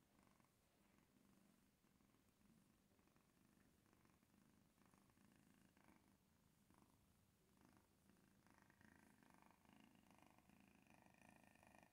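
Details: A male Maine Coon cat gives a continuous low purr while eating, a quick, even, throbbing rumble with faint higher murmurs now and then that give it a sing-song feel.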